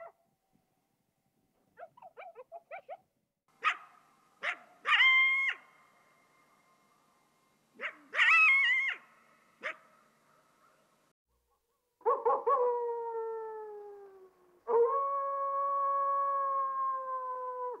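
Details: Coyote sounds: soft rapid yips, then a few sharp barks with short wavering yelps, and finally two long steady howls, each sliding slightly downward.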